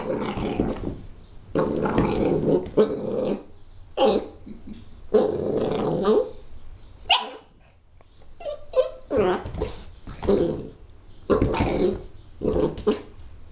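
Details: Puppy mauling a dinosaur toy growls in long, raspy, snarling rumbles lasting a second or more. Higher, sharp barks break in between the growls in a busy, uneven sequence.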